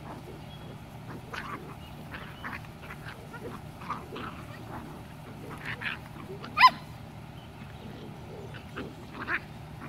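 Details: Black, blue and chocolate dachshund puppies at play with an adult dog named Tesla, recorded 14.05.20; short high squeaks and yips scattered throughout, one sharper yelp near the middle, over a low steady background rumble.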